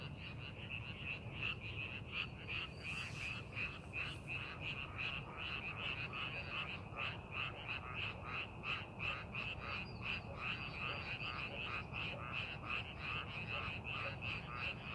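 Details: Frog chorus from rice paddies prepared for farming, fast repeated grating croaks merging into a steady pulsing wall of sound, low background rumble throughout.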